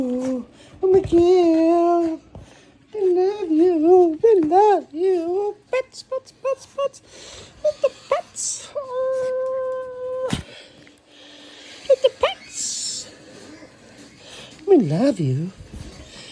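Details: Chi Chi the Chihuahua greeting its owner indoors: drawn-out, wavering whines and yowls with strong vibrato, coming in several bursts separated by short pauses, ending in a swooping, quavering moan.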